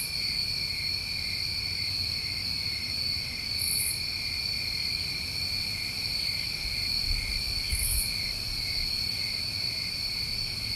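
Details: Crickets calling through a New England summer night, a constant shrill trilling chorus, with two brief high buzzes and occasional low thumps against the steady drone.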